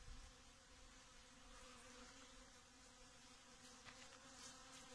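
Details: Honey bees pollinating Datura flowers, a plant grown with earthworm humus; a quiet, steady buzzing hum holds an even low pitch with faint higher overtones, and soft hiss sits in the background.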